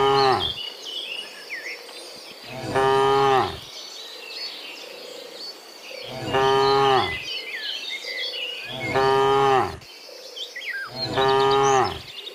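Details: Dozens of cows give long, deep moos one after another while being herded home from the fields to the pen in the afternoon, with birds chirping in the background.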